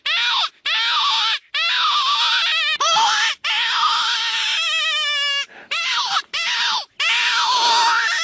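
Jackals wail in high, wavering howls, rising and falling in long overlapping cries.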